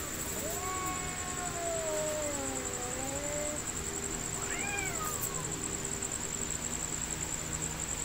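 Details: Two cats fighting: a long, wavering, drawn-out yowl that rises and falls over about three seconds, then a shorter arched cry, over a steady hiss with a high electronic whine.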